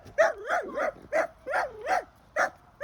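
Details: Small dog barking at a panther, a rapid string of about seven high yapping barks, each bending up then down with whiny glides, roughly three per second.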